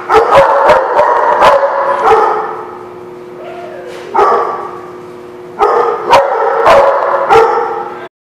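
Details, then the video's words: Dog barks recorded on 23 January 2017: quick runs of sharp repeated barks, a quieter stretch with a brief rising-and-falling whine, then another burst of rapid barking before an abrupt stop. "The Barking Lot"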